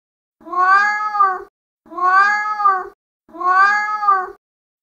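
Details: Mating call of a male cat in heat: three drawn-out, lower and fuller meows, each about a second long, spaced evenly with brief pauses between them. Background is quiet.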